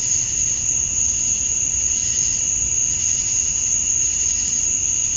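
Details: Outdoors at summer dusk in Georgia, USA, a chorus of male cicadas calling to attract females: a sustained, sharp high-pitched ringing drone with a weaker lower band, uniform from start to end.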